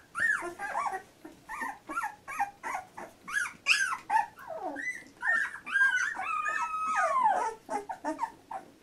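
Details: Fourteen-day-old Labrador Retriever puppy from a litter giving a steady run of thin squeals and whines, mostly short, then a longer wavering cry near the end, pulsing roughly twice a second.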